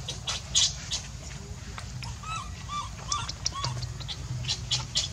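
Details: A hungry infant monkey named Leo pleads for milk from its mother with a series of brief curved whimpers, rising and dropping, spaced about half a second apart, over faint crackles and a low hum.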